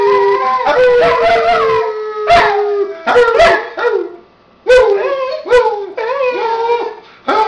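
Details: A dog and a person howl together in short, broken bursts, each rising then dipping, separated by brief silent gaps, with some yipping breaks in the voice.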